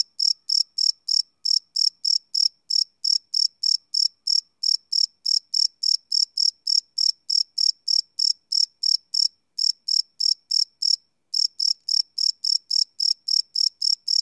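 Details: Crickets chirping at night, recorded live with a Sony PCM D100 field recorder: a steady train of short, bright, high chirps, about three or four every second, with one brief pause near the end; no other sounds.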